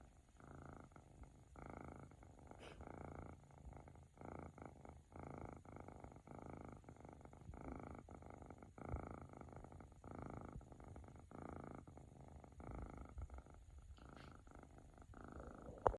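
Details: A young male flame point Siberian cat purrs close up, a deep, loud, slightly rasping continuous rumble pulsing with each breath, almost like soft snoring, with no other sounds around it.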